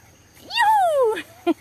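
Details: One of several pet dogs having a good time gives a drawn-out whine that jumps up, then slides slowly downward for most of a second, followed by two short soft sounds; Spanish speech nearby.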